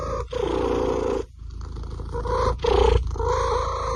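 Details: Domestic cat from a funny compilation of cats and kittens, giving drawn-out, tonal meows, one long and several shorter ones, broken by brief pauses over a steady background hum.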